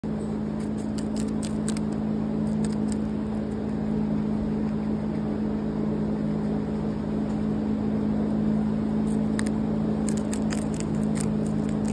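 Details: A steady low mechanical hum fills the background throughout. Faint, crisp crunching clicks of chewing come in short bursts, but no animal calls are heard.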